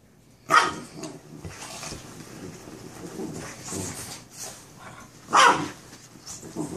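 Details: Two Boston Terrier brothers playing together; one gives two sharp, short barks several seconds apart, with scuffling noises between.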